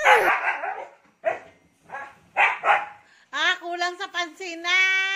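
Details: Siberian Husky named Ice, wildly hyper after a bath, gives a few rough, breathy barks in short bursts, then breaks into a drawn-out, wavering, harmonic howl-like yodel that rises and falls over the last two seconds.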